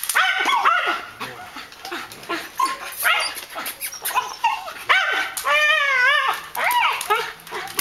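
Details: Malinois K9 guard dog during defence and attack training: loud, repeated barks in quick bursts mixed with wavering, whine-like harmonic tones, with human voices in the background.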